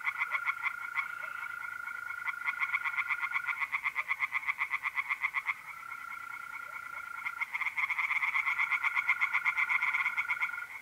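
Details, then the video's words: Pond chorus of tree frogs at night in mid-April, north-east Italy, fast rhythmic pulsed calls in long bursts, a brief lull midway, and a continuous pure-toned trilling of mole crickets alongside. "relaxing singing tree frogs in pond and trilling mole crickets by night"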